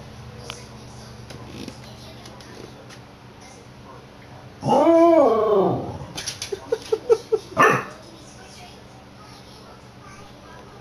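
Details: Milford, a pet corgi, "sings" to the cat he loves in a hallway, recorded on a PS Vita: a rising and falling howl-like vocalisation lasting over a second, then a run of short yips and a final brief cry.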